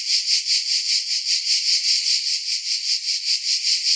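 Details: Shrill, high-pitched cicada buzz that swells and fades in a steady rhythm, about four beats per second, like a rattling maraca.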